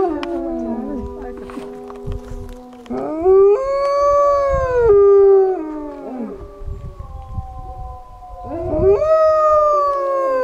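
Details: Idaho wolf pack howling, begun by a man howling to a white wolf: steady low howls give way to rising, arched howls from several animals, overlapping and fading before a final upward-swooping howl.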